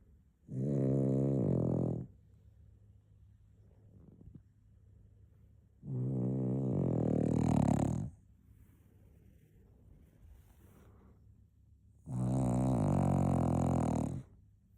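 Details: Cocker Spaniel puppy napping and snoring: three long, rasping, droning snores of about one and a half seconds each, spaced roughly six seconds apart, with quiet breathing between them.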